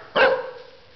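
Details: A dog named Cody barking on command: one short, sharp bark with a quick onset and a brief fading tail, in an otherwise quiet room.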